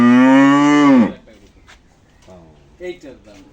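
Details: Cattle at a farm in Shahjadpur upazila, visited ahead of the Eid al-Adha (Qurbani) festival; one loud, steady, low moo lasting about a second, ending in a quick downward slide, then quiet speech from visitors.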